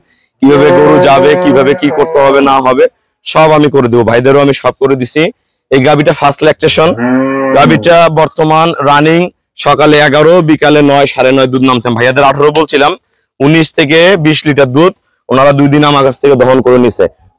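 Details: ['Cows at a dairy farm in Domar, Nilphamari district, Bangladesh, mooing loudly in long, low, wavering calls of about two seconds each, repeated with short pauses.']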